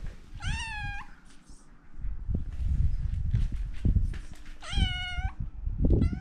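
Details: Kitten walking around, meowing: three high harmonic-rich meows, the first two long and level, a brief one at the very end, over heavy low rumbling handling and footstep noise.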